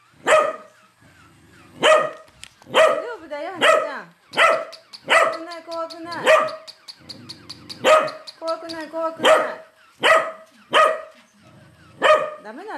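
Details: Pet corgi Hana-san barks furiously at a moving toy corgi. Steady, sharp barks repeat about every second for nearly thirteen seconds, with low mechanical buzzing from the toy and occasional warbling tonal sounds between barks.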